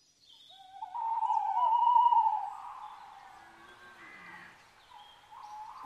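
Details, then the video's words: Red deer stag during the rut at Chambord, France, in September 2021 at daybreak: a drawn-out, tonal, moaning bellow that holds steady for about two seconds, then fades into a softer wavering tail, with faint bird calls around. "brame du Cerf"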